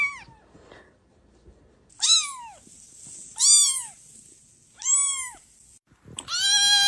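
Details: Persian kittens meowing: three clear, arched, harmonic-rich mews about a second apart, each rising then falling, followed by a longer, louder cry at the end; quiet background otherwise.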